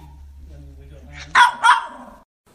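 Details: A puppy lets out two quick, sharp barks close together after a low steady hum.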